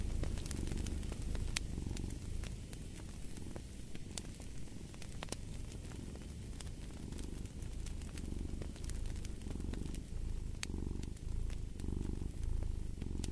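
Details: Low, continuous purring from a cat, rising and falling in slow breathing cycles, partly masked by the hiss and frequent snapping crackles of a fireplace fire.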